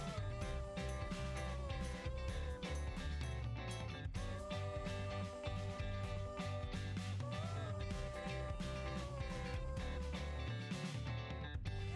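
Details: Country-style music with strummed guitar and a sung melody, and no animal sounds.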